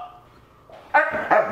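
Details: Husky at home, vocalizing as its owner introduces a new couch. Two quick, whiny, harmonic yowls in close succession, loud against a quiet room after a soft murmur.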